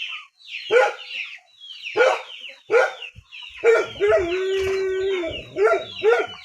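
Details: Dog in a rural area giving a few spaced, harmonic barks, then a drawn-out steady whine followed by two more short barks.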